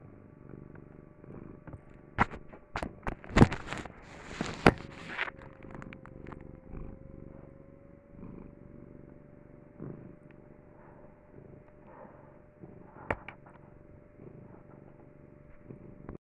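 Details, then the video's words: Cat purring as a soft, low rumble beneath louder scratching and tapping clicks, with rustling handling noise early on and a faint steady tone. "my cat purring for a minute strait"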